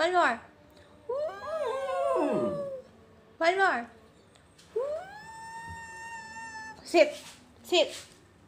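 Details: Pet Lakeland Terrier howling indoors in reply to its owner singing or whispering awoooo: two drawn-out, wavering tonal howls, one bending and falling, the other held steady and high, broken up by short bursts of human voice.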